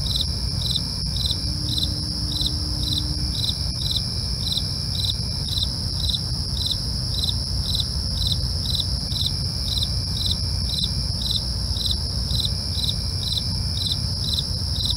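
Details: Nighttime cricket chorus: evenly spaced pulsed chirps about twice a second, a sustained high-pitched buzzing trill above them, and a steady low rumble underneath.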